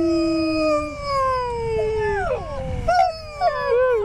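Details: A sled husky at Schröcken am Hochtannberg, Austria, during husky sled rides gives a long, smooth howl that slides slowly downward in pitch.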